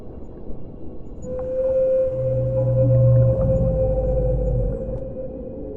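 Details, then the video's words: Whale song beneath the sea: a drawn-out, even-pitched note that rises in volume, accompanied by a lower droning groan and a soft, continuous background hum. "O CANTO RELAXANTE DAS BALEIAS"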